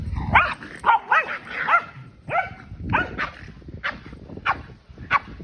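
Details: A Keeshond and a Boston Terrier playing rough together in a large yard: a rapid, uneven string of sharp yips, whiny barks and growly rising-falling vocalizations, about a dozen in five seconds, with scuffling between them.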